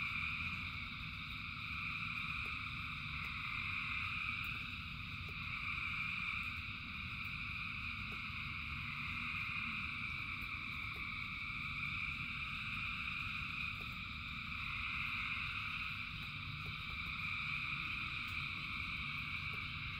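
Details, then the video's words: Frog chorus in rain, thousands of voices merging into continuous high shimmering trills that swell gently every few seconds, over a constant low wash of falling rain with occasional drop clicks. "Frogs in Rain 2 Hours of Frogs, Thousands of Frogs Singing"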